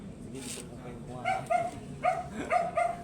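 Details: Poodle at a stud service in Manaoag, Pangasinan, giving a string of short high yips and whimpering barks, about five in quick succession, indoors with low background murmur.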